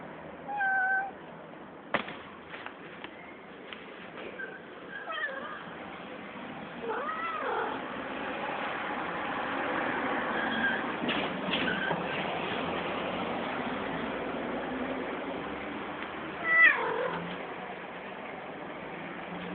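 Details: Angry and hungry cat giving several short, curving meows at irregular intervals, over steady background hiss and a few faint knocks.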